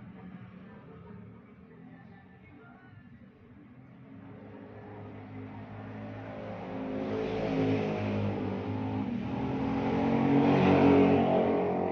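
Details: A revving engine builds steadily louder toward the end with a low droning background and faint music, and no animal sound is present.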